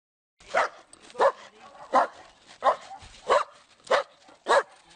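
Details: A domestic dog gives a run of seven evenly spaced sharp barks, one roughly every two-thirds of a second, against a clean quiet background.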